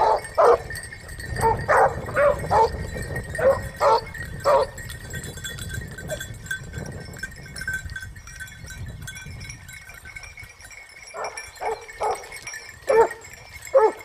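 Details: Basset Hound pack hunting in Spain during the 2015-16 season; scattered single bays come in bursts, then a quiet stretch with faint rustling before a few more spaced bays near the end.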